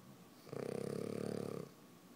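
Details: A French Bulldog puppy, Hudson, snores very loudly while asleep with his eyes open; one rattling, buzzy snore of just over a second, rapidly pulsing throughout, framed by soft breathing.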